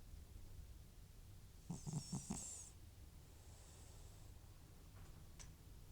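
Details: Butcher, an aged FIV-positive house cat with chronic sniffles, dozes with a stuttering snore: three or four quick, low rattling pulses in a row, then quiet breathing and a faint click.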